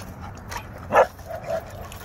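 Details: Playful dogs, an English Mastiff and a pit bull, at a dog park; one brief, sharp bark-like burst in the middle over constant rumbling background noise.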